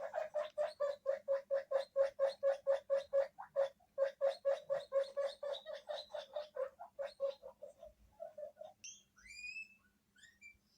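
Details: Pet guinea pigs in a multi-animal household in Hokkaido, with an unknown guinea pig voice from a TV: a rapid run of short, evenly spaced squeaks, about two per second, slowing and fading, then a few faint high rising whistles.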